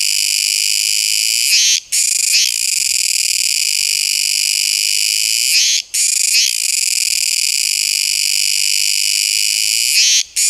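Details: Kuroiwa tsukutsuku cicada producing a steady, intense metallic buzz, high in pitch, interrupted at regular intervals of roughly four seconds by three momentary gaps with a quick flutter at each resumption.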